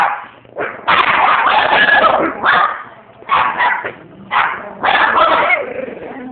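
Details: Chihuahuas among eight dogs break into a howling session on a relaxing Saturday afternoon: overlapping yips and wavering howls come in bursts of about a second, separated by short pauses, with a person's voice nearby.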